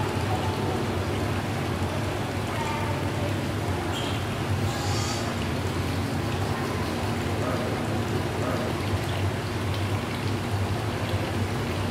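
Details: Steady rain-like hiss and a low rumble fill the whole clip, with perhaps a faint murmur of voices and no animal calls.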